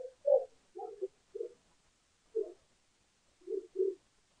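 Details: Lesser bush baby feeding on yogurt at a bird cam in South Africa, June 20, 2015: a series of short, throaty mid-pitched notes, irregularly spaced, some paired, in a quiet setting.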